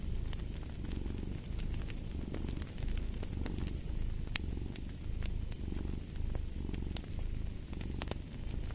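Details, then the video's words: Domestic cat purring steadily, a deep low rumble swelling and easing with each breath roughly every one to two seconds, while sharp crackles and pops from a fireplace fire snap over it. "the Purring of a Cat"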